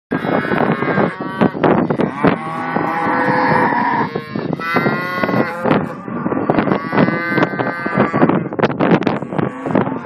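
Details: Simmental heifers: a long, loud, harmonic moo holds steady for about two seconds, then shorter lowing follows amid frequent clattering knocks and thuds from the animals moving around.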